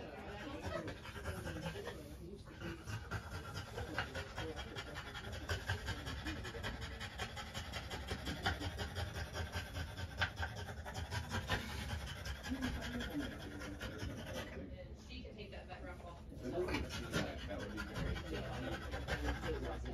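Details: Female French Bulldog panting during trans-cervical insemination with a scope: rapid, uneven, breathy bursts, roughly two to three per second, running steadily throughout, with low murmuring voices and handling noise underneath.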